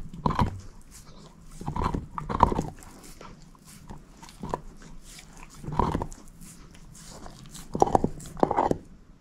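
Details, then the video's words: Moose, a female shepherd mix, chews a bone with distinct heavy crunches in pairs and singles every couple of seconds, and soft gnawing in between. The room is otherwise quiet and no one speaks. "SHEPHERD EATING BONE ASMR"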